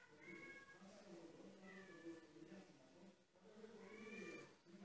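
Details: Kittens climbing stairs for the first time, indoors; three drawn-out, harmonic mews, each bending up then down, spaced across the clip over a low room hum.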